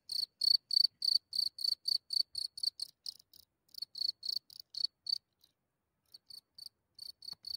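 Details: Cricket emerging from its hole at night in Germany, heard from only a few centimetres away; rapid run of high, buzzy chirps about three per second, briefly pausing near the end before resuming, with no other sounds.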